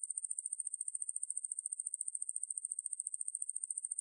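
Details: A high, sizzling trill from the conehead katydid Ruspolia lineosa, from a National Institute of Biological Resources recording. It is built from about a dozen quick ticks per second in a steady, unbroken rhythm.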